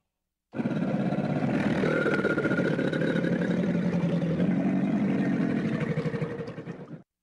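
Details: An American alligator in a river gives a deep, rumbling bellow that rolls on steadily like an idling engine.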